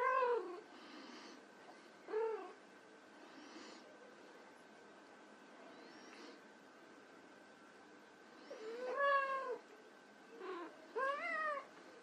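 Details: Several mews from white Persian kittens at play, spaced irregularly, with a loud cluster of bent, rising-falling harmonic meows late on and fainter squeaks between, a steady hum underneath.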